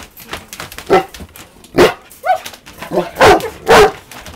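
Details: Golden Retriever barking at a balloon, 14 August 2023; a rapid, uneven series of about six barks, some with a short whining rise, growing louder toward the end.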